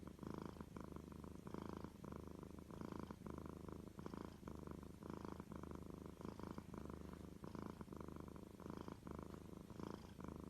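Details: Domestic cat purring steadily: a low, continuous rumble pulsing in quick inhale-exhale cycles, about two per second, with soft breathy texture throughout and no other clear sounds.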